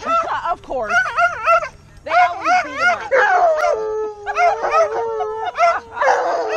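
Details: Excited Alaskan Malamute Tonka, reunited with friends after about a year, gives long warbling woo-woo calls, rippling rapidly in pitch, with one sustained falling moan near the middle and louder rough bursts at the end.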